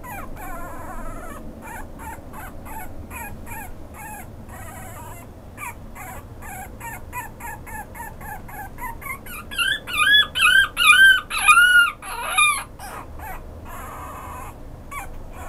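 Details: Pomeranian-Chihuahua mix dog giving a run of short, soft, high whimpers at a quick uneven pace, then several louder, drawn-out arching cries near the end before fading back to faint yips.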